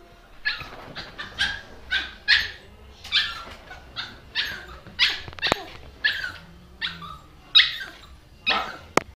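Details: Dog indoors giving a steady series of about fifteen short, sharp barks, spaced roughly every half second, each a bright, noisy burst.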